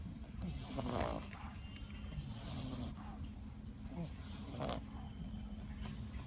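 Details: French Bulldog sleeping and snoring loudly: rough, breathy snores recur about every one and a half to two seconds, over a steady low hum.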